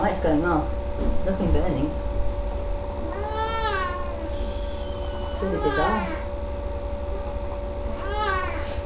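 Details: Sasha, a pet cat, giving birth to three kittens on May 14th 2011, indoors: drawn-out, arching meows recur every couple of seconds, with people talking softly nearby and a steady electrical hum.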